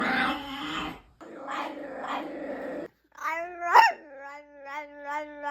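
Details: Pet dog making odd vocal sounds: a rough, breathy growl-like grumble in two bursts, then a brief pause and a drawn-out tonal whine that jumps sharply in pitch and holds as a steady, slightly wavering moan.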